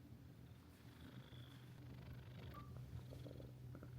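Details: Resident cat at a hot-spring guesthouse near the sea in Ito Onsen, Shizuoka, Japan, purring in a guest room; continuous low rumbling purr with light clicks and handling sounds.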